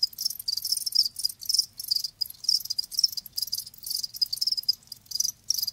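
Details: Live crickets chirp in sharp, high, rasping bursts, each lasting a fraction of a second and repeating steadily about three times per second.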